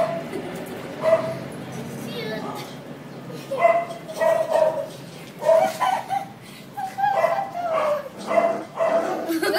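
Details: Quiet, repeated short yelps from five-week-old male Labrador Retriever puppies of one litter, coming in bursts every second or so against background chatter.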